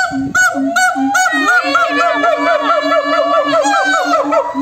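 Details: Several monkeys answering one another in a noisy chorus: a run of short low hoots gives way to a dense stream of overlapping arched, wavering whoops at a steady loud level.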